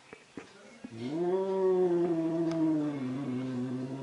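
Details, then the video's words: An angry cat giving a long drawn-out low yowl lasting about three seconds, rising slightly then sagging in pitch, preceded by a few faint clicks. "Crazy angry cats"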